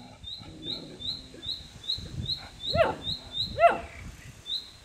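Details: A two-month-old Polish Tatra Sheepdog puppy gives two rising-then-falling whining yelps over steady high chirping.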